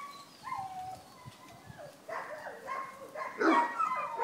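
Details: Vizsla puppies at Wey Farm Kennels: a faint whine or two opens a quiet stretch, then a sudden cluster of loud, squeaky yelps and whimpers near the end.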